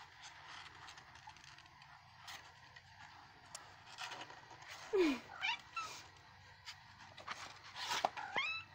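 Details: Two young black cats playing indoors, one a kitten wrapped at the legs for swimmer's syndrome; sharp falling squeaky meows and short cries among thumps and rustling of play, with faint speech.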